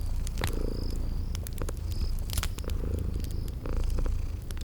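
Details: Deep rhythmic purring from sleeping cute kitties rises and falls in breathy cycles beside a crackling fireplace, with loud pops, clicks and a few thin high chirps from the spring garden ambience.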